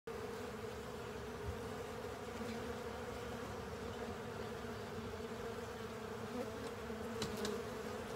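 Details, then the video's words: Honey bees and other insects cleaning up a honey filter: a steady, dense droning hum of many wings, with a low fundamental and a stronger overtone, holding an even level throughout with faint brief ticks near the end. "Honey Bees & Pals Cleaning Up A Honey Filter"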